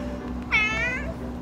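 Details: Cat from a home caring for about forty cats gives a single drawn-out meow, slightly wavering, lasting about half a second, over soft background music.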